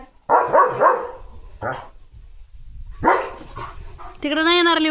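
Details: Leo, a German Shepherd, barks while running out in the morning in a home courtyard. A quick run of harsh barks is followed by a lone bark, then a woman's voice speaking.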